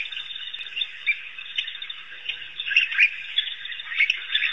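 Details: At Pete's Pond in Africa, a group of African wild dogs keeps up a continuous high-pitched twitter, bird-like squeaks overlapping into a steady chorus with brief louder chirps.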